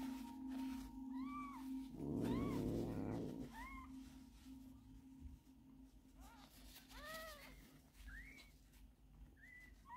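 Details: Stray mother cat in Istanbul with her four newborn kittens, taken into a home after living hungry and thin among streets and car repair shops; short, high, arched mews repeat roughly every second over a steady low hum, with a brief rustling noise burst early on.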